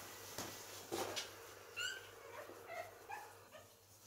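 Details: Pekingese puppies eating and playing give a few short, squeaky yelps and whimpers, brief tonal squeals scattered between scuffling and chewing clicks, with a steady low hum underneath.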